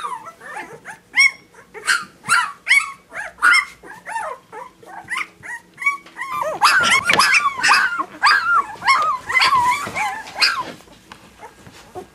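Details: Puppies giving a quick series of short, squeaky whines and yelps, about two per second, with several voices overlapping into a denser chorus in the second half.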